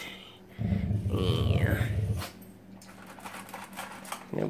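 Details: Pet dog indoors, obsessed with his food bowl and reacting when it is pointed at: a low, rumbling pulsed growl lasting about a second and a half, with a person talking and a higher vocal sweep over it.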